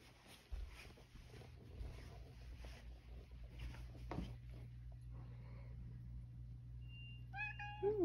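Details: Male rescued house cat, just back indoors after going outside, gives a single short rising meow near the end, after a long stretch of quiet room noise with a steady low hum and faint rustling.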